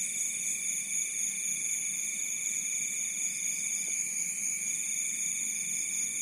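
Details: Crickets at night at the edge of a rice field in Bantul, Yogyakarta, Indonesia, forming a steady, unbroken high-pitched trilling chorus of several overlapping shrill tones that hold evenly throughout with no pauses.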